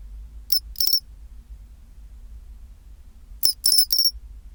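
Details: Pine cricket singing its chinchirorin song at 24°C: two clusters of bright, metallic, high-pitched chirps, the first a pair and the second a run of three to four, about three seconds apart, over a faint low hum.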